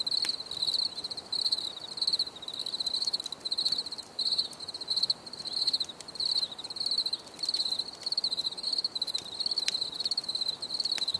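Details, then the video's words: Cricket song of short, high trilled bursts, about ninety per minute with slightly uneven spacing, ringing out clearly above faint ambient hiss. "Bruit de Grillons"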